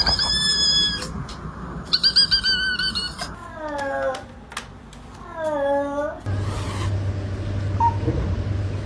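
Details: Domestic cat making odd, drawn-out meows and squeaky calls with strong harmonic stacks, some wavering, some sliding downward, interrupted by brief bumps, with a person's voice and a low hum in a small room.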